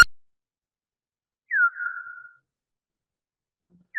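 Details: Big brown bat echolocation from a bioacoustic monitor on the Wampanoag Common Lands, pitched down to be audible: one clear downward-sweeping chirp that levels into a short tail, with clipped fragments at the start and end, over silence.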